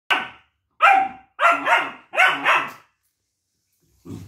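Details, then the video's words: Duke, a longcoat German Shepherd puppy, barks in protest at a multivitamin he dislikes while arguing with his owner: sharp, high barks, some doubled, in an uneven burst, then a softer low grumble. "Duke dislikes 👎 multivitamin & arguing with mom || Longcoat gsd puppy"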